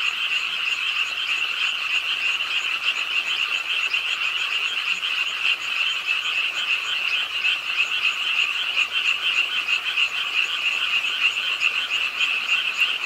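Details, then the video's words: Late-night frog chorus at a park pond in Suwon, Korea, on a rainy night; continuous rapid, high-pitched croaks from many callers merge into a dense, slightly fluctuating ringing sound. "비오는 밤 개구리소리, Do you hear the frogs? 비오는 밤 공원 연못 추억의 개구리 소리, Frog Sounds, 빗소리와 함께 듣는 개구리 우는 소리"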